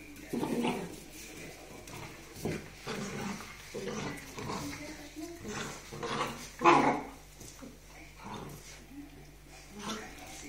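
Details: Puppies fighting over a sock, giving short whiny growls and yelps in irregular bursts, the loudest near the middle, with a human voice talking in the background.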